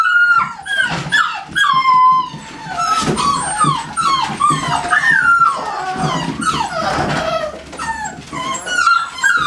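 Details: Kennel-bred American Staffordshire Terriers whining and yelping together: clear tonal cries that bend and fall in pitch, overlapping in busy clusters with brief pauses, a faint background murmur underneath.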